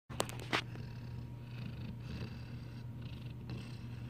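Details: Large puppy snoring while fully awake: a low, steady rumbling drone with short breathy bursts of broadband noise, recorded indoors.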